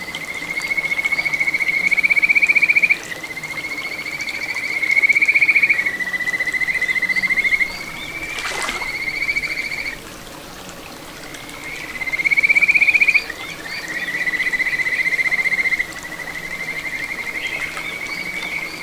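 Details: Kajika frogs calling from a small stream flowing through satoyama, Ichihara, Chiba Prefecture, June 2022: clear whistled phrases in bouts of a few seconds, each swelling then breaking into quick trilled notes, with quiet gaps and running water.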